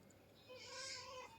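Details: Domestic cat giving a drawn-out, fairly quiet meow lasting about three-quarters of a second, steady in pitch with a soft hiss of background noise.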